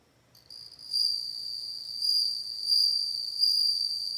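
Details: Bell cricket song that begins after a short pause, then a continuous high, pure ringing tone pulsing in gentle surges of loudness roughly every half second to second, over a faint low background hum.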